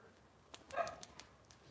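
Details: Cavalier King Charles Spaniel puppy from Robin's litter, indoors on a Wednesday morning kitchen-cam livestream, giving one short, sharp, high yip midway, framed by soft clicks and taps.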